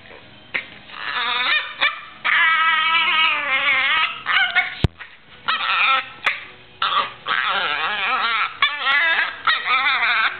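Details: Female Yorkshire terrier making funny noises while playing with her owner: a run of high, wavering whines and yelps with strongly warbling pitch, in bursts separated by short pauses and sharp clicks.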